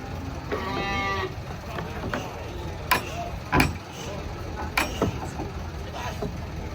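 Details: Large cattle being unloaded from a truck lows once in a short harmonic moo, followed by sharp metallic bangs and knocks from the unloading.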